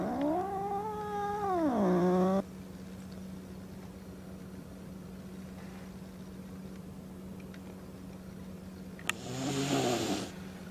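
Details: House cat Peko meeting a new calico kitten for the first time. Peko is upset to find another cat in its old cage and threatens for the first time in this home. A long, drawn-out wavering yowl slides down and stops abruptly. After a quiet stretch comes a short, harsh, breathy hiss mixed with a low moan.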